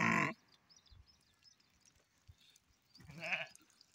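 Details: A black sheep bleats twice: a sharp cry at the very start, then after a quiet pause a second wavering bleat, with faint rustling between.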